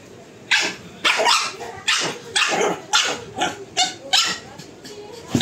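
A pug barks in a quick run of short, sharp, bright yaps, about two each second.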